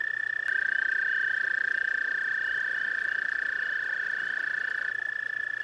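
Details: Trilling toads at a pond, two long, fast-pulsed, even-pitched trills overlapping, one beginning just after the start and cutting off near the end while the other continues, a faint low hum beneath.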